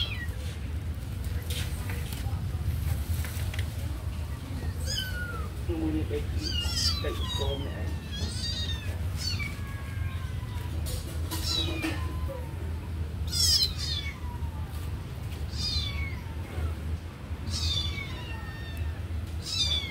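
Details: Kitten near a sleeping puppy mews again and again, a run of thin, high descending cries coming in quick bursts, set against a continuous low hum.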